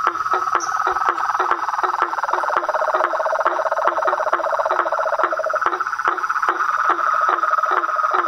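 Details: Outdoor chorus of frogs, toads and tree frogs. A dense, steady trill fills the background. A lower pulsing rattle joins midway, and crisp knocking notes repeat rapidly on top.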